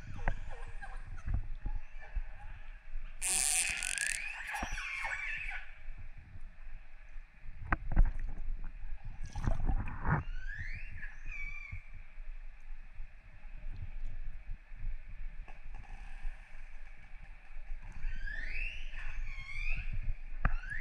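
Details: Wild orcas recorded underwater off northern Norway in December 2018, after dark: a few rising, harmonic-rich squealing calls sweep upward near the end, between bursts of rushing water and bubbling noise and a steady low hum.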